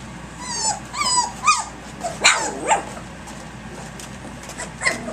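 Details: Three-week-old puppies playing rowdily at six in the morning: a few high, sweeping yips and squeals, some rising then falling, in scattered bursts with quieter gaps and a low background rumble.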